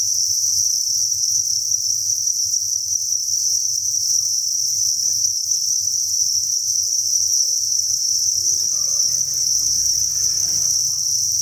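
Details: Cricket chorus at a breeding facility where thousands of crickets call together: an unbroken, shrill, even trill held at one high pitch throughout, with faint low rustling underneath.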